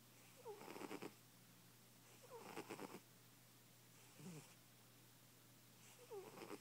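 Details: A sleeping, heavy-set pet cat snores loudly. Rough, rattling breaths recur roughly every two seconds, each starting with a thin whistling squeak, over a faint steady indoor hum.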